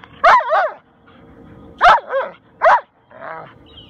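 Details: Talkative Husky/wolf mix Max sounds off while roughhousing with Rottweiler friend Tor, who makes no sound: four sharp, wavering yip-barks in quick pairs and singles over about three seconds, the last one softer and rougher.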